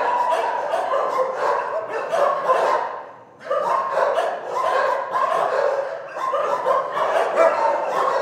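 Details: Many dogs in an animal shelter barking together in a dense, overlapping chorus of sharp barks and yips, continuous except for a brief lull near the middle, with some whining mixed in.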